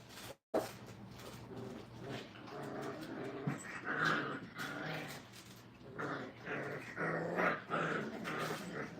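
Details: Five-week-old Brittany puppies in a kennel crate, learning crate training, whining and growling in overlapping bursts, with short yelps rising in the second half over a steady low hum.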